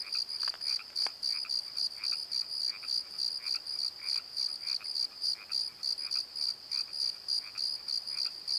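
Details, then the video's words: Crickets at night in a valley bottom give a fast, regular high chirping, around three to four pulses each second, over quieter low croaks and a couple of sharp clicks early on. "Crickets and Croaks! Pozo Night Tree"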